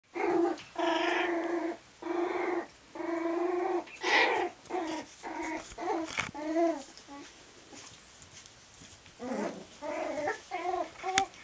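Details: Cairn terrier puppies at play yip and whine in rapid bursts, with some play growls mixed in.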